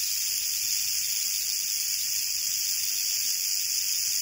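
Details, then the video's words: Steady, dense high-pitched buzz of a canebrake rattlesnake's rattle, found on a dirt road in North America late in the herping season, continuous and even throughout. "Rattlesnake ASMR"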